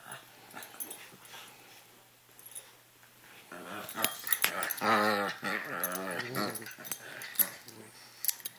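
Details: Two puppies named Chewy and Sarge playing indoors; quiet scuffling at first, then harmonic, wavering growl-whines rise midway in quick repeated bursts before fading into rustling and clicks.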